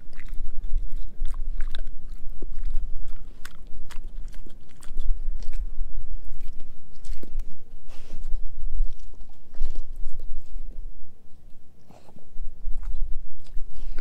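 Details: Edu, German Shepherd mix, eating a dehydrated pig ear dog chew: loud, dense crunching and snapping bites in quick irregular bursts, brief quieter pause near the end before chewing resumes, close and intimate.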